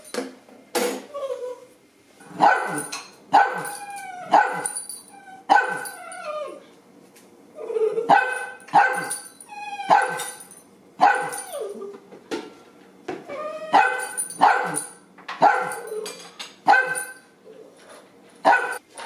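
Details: Two dachshunds indoors at breakfast time, one whining and the other barking for food: repeated high, falling, harmonic whines and yelps mixed with sharp yips, coming every second or so, with brief kitchen clatter.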